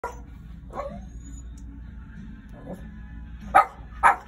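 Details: Dog barking indoors: two short, sharp, loud barks close together near the end, after a few fainter barks earlier, over a low steady hum.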